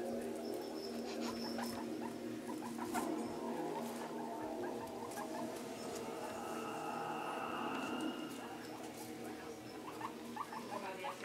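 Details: Pet guinea pig Scruffy, new to the household, roams a bathtub lined with towels and hay, excited by the room; brief high chirping squeaks repeat irregularly beneath a constant hum from a living-room TV.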